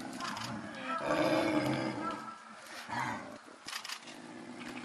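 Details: Captive snow leopard pair at Tama Zoo, Japan, apparently just after mating, the male pursuing the female and scuffling; a harsh, rasping growl swells for about a second, then a shorter snarl follows, with crowd chatter in the background.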